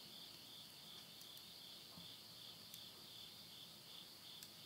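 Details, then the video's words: Midnight insect voices, Yurihama town, Tottori, Japan, September 2020 as summer ends: shrill continuous ringing trill, gently pulsing, over soft background hiss, with occasional clicks from a wood fire in a stove. "the voice of insects"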